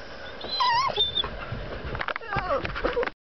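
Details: Sophie, a female dog, whines in a truck because she wants to get out: two bursts of high, wavering, nasal whines that bend up and down, separated by brief rustling and clicking sounds.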